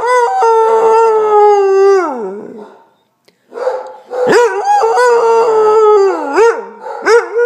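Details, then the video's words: Basset Hound Linus howling and talking: a sustained steady howl that slides downward and dies away, silence, then a series of abrupt swooping bays and wavering howls, some breaking upward before dropping. "Linus the Basset Hound - Howling and Talking"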